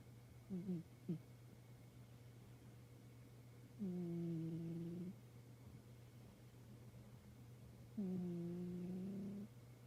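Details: A black-and-white tuxedo pet cat snoring softly indoors: quiet, low, slightly rising tonal drones about a second long, sounding with each breath roughly every four seconds, over a steady low electrical hum.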